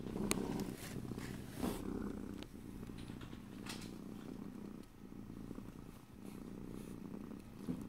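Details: Pet cat purring in a fast, rhythmic low buzz, punctuated by a few sharp clicks and rustling movements, in stereo with no talking.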